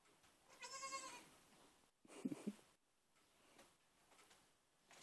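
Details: Baby goats, recently brought home, give a short, high, quavering bleat of about half a second, followed by a few soft thumps over a quiet background hiss.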